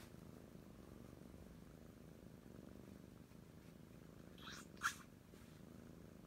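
Oriental Shorthair kittens purring steadily, a low continuous rumble, with a brief rustle midway.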